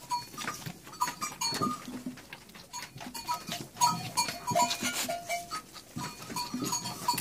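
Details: Goats on a farm while two nannies are milked, their milk bottle-fed to an orphaned lamb whose mother died giving birth; many short, wavering bleats overlap and repeat throughout, with clattering handling noise and clicks between calls.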